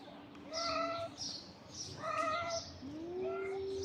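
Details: Stray street cats in a tense, fighting mood. Long, steady-pitched harmonic yowls overlap one another, and the clip ends with a lower, rising, drawn-out moan.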